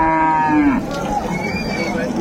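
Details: One brief moo cut short by a dropping tail at Ambari haat cattle market in Dinajpur, among dairy cows and calves of improved breed on 25/8/25, followed by the murmur of traders and a voice asking about age.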